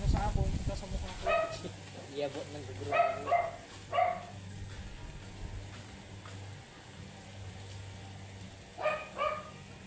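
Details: Angry, matted Shih Tzu dog barking during grooming: sharp, short barks in a cluster around the start, two close together, then a lone bark near the end, over a low steady hum.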